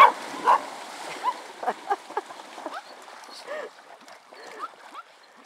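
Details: Dogs playing at a pond give short, bright yips and whimpering cries, several in quick succession, over a steady wash of outdoor noise, with a person talking and a splash nearby.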